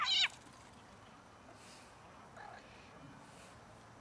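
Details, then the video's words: Cat from a family of domestic cats attempting to mate and then eating: one loud, short harmonic meow at the very start, followed by quiet background hiss and a faint second call. "Cat family tries to mate with one another and start eating afterward"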